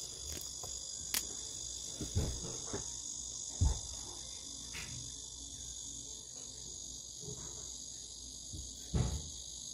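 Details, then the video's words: Japanese cicadas in a steady, unbroken high-pitched buzzing drone that holds an even level throughout, with a few brief low thumps and knocks in the background. "일본 매미 모음"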